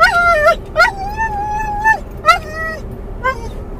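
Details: Muzzled in a car, Mungle the Doberman/collie cross calls for his lost Moromom. He gives a few drawn-out, high, nasal whines, some held steady for about a second, separated by short pauses. A low vehicle hum runs underneath.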